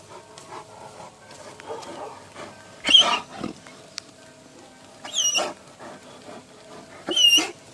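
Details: Grey, a Central Asian Shepherd Dog, howls along to church bells. Short, wavering, high howls with rising and falling pitch come at about three, five and seven seconds over faint, sustained ringing bell tones.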